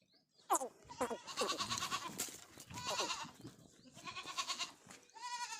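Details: Several farmed goats bleating in overlapping succession, quavering calls that rise and fall, with short sharp calls mixed in, making a busy, continuous chorus.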